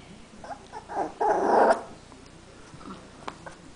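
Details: Three-week-old Teckel (dachshund) puppies playing together for the first time indoors: a short burst of squeaky whines and yelps, the loudest a rough, strained squeal lasting about half a second, then quieter rustling and small clicks.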